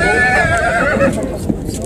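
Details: A stallion at the Bhatner horse fair of 2020 in Hanumangarh, India, gives a loud, tremulous, harmonic whinny lasting about a second. It then fades under crowd chatter, with hoof clops and other fair noise behind.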